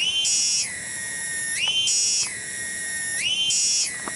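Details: Cicada (tonggeret) in a village garden at Kampung Bunder, Cibening, Bungursari; a loud, continuous whining tone with a rich, ringing edge swings smoothly between a higher and a lower pitch about every one and a half seconds, with no other sounds.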